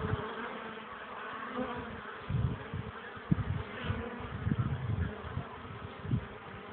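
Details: Honey bees at a hive, 21 April 2013 around 13:00, sunny but only 12 °C with a cold wind hindering landings, workers carrying pollen; steady low droning hum with layered bands, broken by thumping wind gusts.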